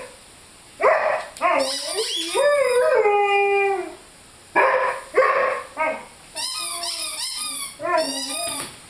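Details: Squeaky chicken toy in play with Lyle, a 5-month-old Rhodesian Ridgeback: rough barks lead into a drawn-out, falling howl, then more barks and bright, repeated chirping squeaks from the toy.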